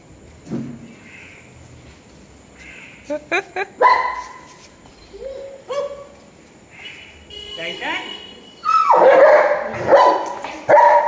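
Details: German Shepherd dog reunited with its owner after one month apart; excited high yelps, short barks and whines come in irregular bursts that grow louder and denser toward the end, with a person calling out and speaking between them.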